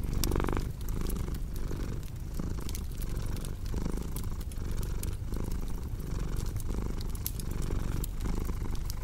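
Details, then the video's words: Deep rumbling purr from a cat, rising and falling with each breath at a steady pace of about one cycle per second, while fire crackles sharply in the background. "Purring Cat with Cozy Crackling Fireplace Sound"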